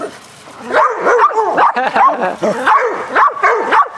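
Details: Several dogs barking nonstop during a lively game of fetch on a spring day, a dense run of overlapping, yelping barks that bunch up and fall away in uneven bursts.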